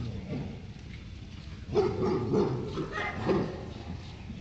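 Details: Labrador Retriever. A Labrador lets out several quick, throaty barks in a loose burst, barking at another dog during play. A person's voice is heard talking in the background.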